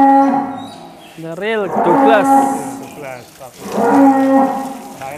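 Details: Real Douglass, an Angus bull called the biggest in Indonesia, lows loudly in a barn: two strong moos with bending, wavering tones, the first rising then falling around the middle, the second steadier near the end, brief clatter between.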